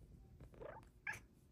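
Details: Female Bengal cat, a pet indoors, reaching out for more petting after stroking stops: one soft, brief meow that rises and bends, then a short, sharper, higher chirp-like note a moment later, over quiet room hiss.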